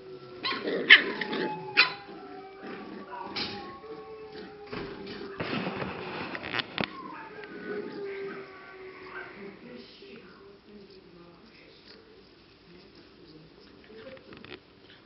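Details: Several English cocker spaniel puppies, six and seven weeks old, at a Czech kennel, giving scattered short yelps and squeaky whines, loudest early on, with human voices and handling noises mixed in before quieter fading whimpers.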